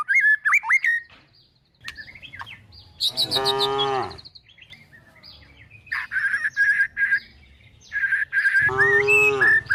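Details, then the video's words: Tame cows and calves being herded toward a forest while looking for food give two drawn-out, wavering moos, one a few seconds in and another near the end, with bright chirping birdsong in the gaps between. "the sound of calves, cows looking for food"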